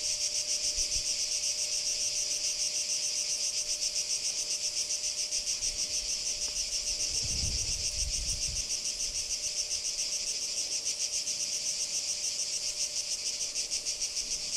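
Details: Cicadas recorded at Kardamyli, 2013: long stretch of even, high buzzing with rapid regular pulses, a constant low tone beneath and a brief low rumble midway.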